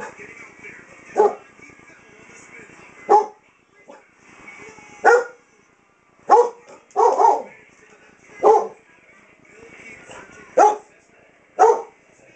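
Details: A 7-year-old German Shepherd Dog going blind barks indoors at a wall clock she mistakes for a face; single loud barks repeat irregularly about every one to two seconds over quiet room sound and a faint TV.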